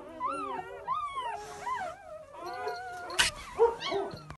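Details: Just-born English Pointer puppies whining: a run of wavering, arching squeals, a brief rustle partway through, then more short yips.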